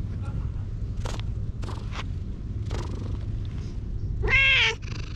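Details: Stray cat in a park being petted, filmed on a GoPro; a steady low rumble runs throughout with scattered soft rustles, then a single clear, harmonic meow rises and falls near the end.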